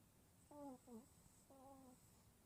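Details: Smooth Chihuahua named Choco, sound asleep indoors and sleep talking, recorded without an added microphone: two short, nasal whimpering moans, then a longer, steady, tonal moan, all fairly quiet over faint room hiss.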